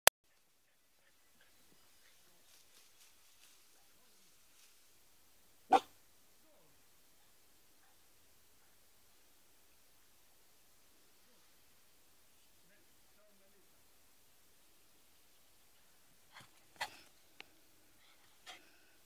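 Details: Bailey the poodle at play in the yard: one sharp, isolated bark a few seconds in, then a long quiet stretch before a loose burst of three or four short barks near the end.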